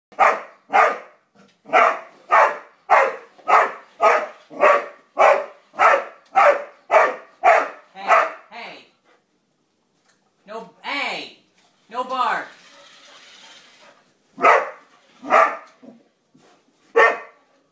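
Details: ['Roxy, a pet dog, barking at a yellow toy car it seems to dislike: a fast run of about fifteen sharp, even barks, then a few arching whine-like cries and a brief pause before three more barks.']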